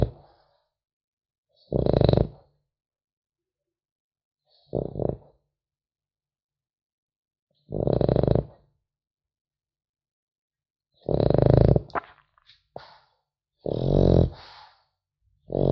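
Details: French Bulldog puppy asleep indoors, snoring in separate rough, low breaths spaced a few seconds apart, some short and some longer, in a quiet room with gaps of silence between them.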